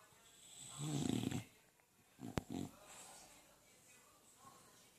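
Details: A male English Bulldog snoring with loud, rumbling, low-pitched rasps.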